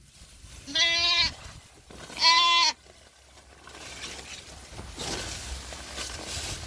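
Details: Goat on a small farm giving two loud, wavering bleats about a second and a half apart, rich in harmonics, followed by quieter rustling and background noise.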